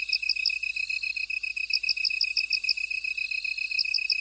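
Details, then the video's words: Several bugs sing in a field, with a constant high trill beneath evenly spaced bright chirps and a thin, very high buzz that fades in and out. "들판의 벌레들 우는 소리, Buzzing Bugs In Field"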